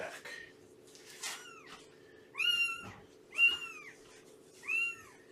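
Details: Four clear, arching meows, rising then dipping, about one second apart, from the foster home of Shelby, a rescued cat with three-month-old kittens, on the morning of 19 September 2017, with light scuffling before the first.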